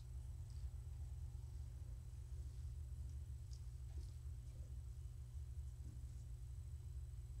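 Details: Steady, unbroken low purring from Morticia, a house cat, as she is stroked indoors during an evening petting session; only faint, scattered light ticks sit over the continuous rumble.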